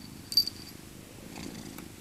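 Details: Maca, an elderly female tabby cat born in 2000 and rescued as an abandoned kitten from a local park, purrs while cuddled in her soft winter coat; a brief low rumbling purr with a sharp click near the start.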